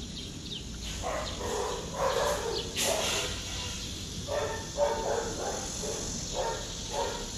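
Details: Shiba Inu barking at a dog training and boarding facility in Taiwan; a series of short barks roughly every second, some doubled, over a steady background hum.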